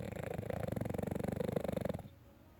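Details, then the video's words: Pet dog sleeping indoors and snoring: a low, rattling snore with rapid pulsed vibration lasting about two seconds, then quiet breathing. "My dog sleeping and snoring"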